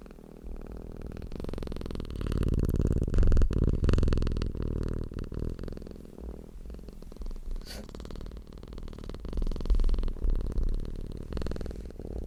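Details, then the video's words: Domestic cat purring indoors, a low continuous rumble with uneven loudness that swells around two to four seconds and again near ten, with scattered soft clicks and rustles over the hum. "CAT PURRING SOUND deep humming sound of a purring cat"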